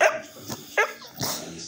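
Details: A male English Staffordshire Bull Terrier gives short, yowling barks and whines, asking for his breakfast.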